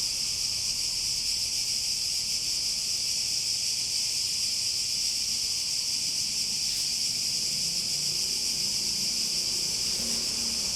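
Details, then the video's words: Unbroken high, sizzling buzz of cicadas, even and droning, with a faint brief click midway and soft low rumbling toward the end. "Relaxing Sounds With Cicadas"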